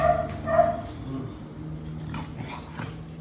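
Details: A playful American Bully being fed chicken and told to catch gives two short, high, tonal whines in the first second. Quieter rustling and a low steady hum follow.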